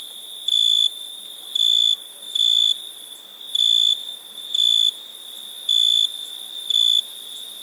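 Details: Nighttime crickets give a shrill, even tone that swells into loud chirps roughly every second, with a constant high insect hum beneath.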